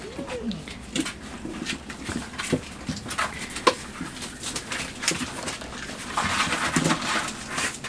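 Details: Puppies five weeks and two days old in their night pen, 23 September 2015, investigating, biting and claiming a box while romping; a brief high whine curving down at the start, then steady scratching, chewing and rustling.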